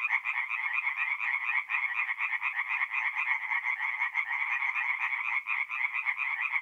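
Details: Tree frogs singing at night at a forest pond in mid-April in north-east Italy; a dense, continuous chorus of rapid, rasping pulsed notes from many frogs overlapping without pause, steady and bright throughout.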